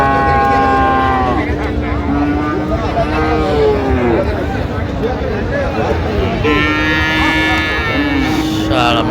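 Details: Friesian and cross-breed bull calves in Narayanganj, Bangladesh, on 25 December, as a farmer buys them: several long lowing calls, some wavering, separated by short gaps, with human voices and crowd noise throughout.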